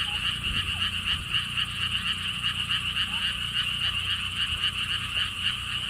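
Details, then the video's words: Many frogs calling together at a lotus theme park in Siheung, Korea. Their buzzy pulsed croaks form an unbroken chorus near four pulses a second, with a few faint short chirps and low wind in the background. "돌담길, 바람, 개구리 소리를 품은 연꽃 테마파크"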